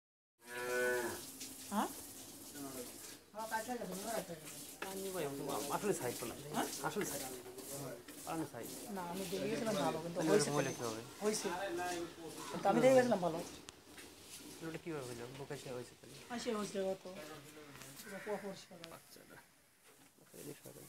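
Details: A pair of 16-month-old Mundi heifer calves offered for sale in Pabna, Bangladesh, giving repeated low, harmonic moos and bellows one after another, rising and falling in pitch throughout, with little other sound.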